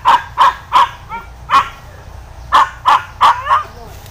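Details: Hunting dogs chasing a wild boar through bushes bark in sharp, repeated bursts, several per second with brief pauses.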